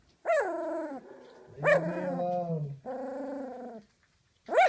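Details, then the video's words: Large 19-day-old female Doberman Pinscher puppy, just after her first dinner of big dog food, protecting her bed from an intruder: harmonic whining growls, falling and wavering, in about four bursts of roughly a second each, with a low steady growl between. "19 Day old Doberman Puppy Growls after first dinner"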